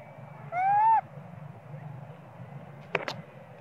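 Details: Small monkey crying and screaming because it wants its mother Popeye to nurse it, possibly from hunger. One clear, slightly rising whistled wail with strong harmonics lasts about half a second, followed by a brief noisy burst over low background hum.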